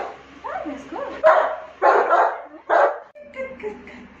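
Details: Saint Bernard puppy playing with its mother: thin whines rising and falling, then three loud, harsh barks about 0.7 seconds apart, ending in softer, higher yips.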